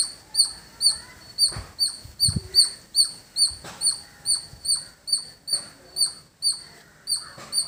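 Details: Squirrel in a village environment calling with bright, piercing chip notes at about two or three per second. Soft clicks and low thumps are heard in the background.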